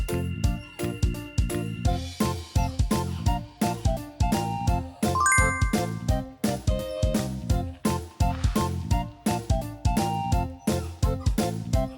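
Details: Bright, bouncy background music with chiming, bell-like notes and a steady beat; no snoring or other animal sound stands out.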